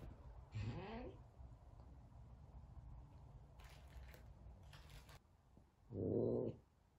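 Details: F2 Savannah cat, frightened of a little kitten during their first time together, lets out a short rising, strained meow of about half a second, followed by quiet room noise, faint clicks and a brief loud muffled bump near the end.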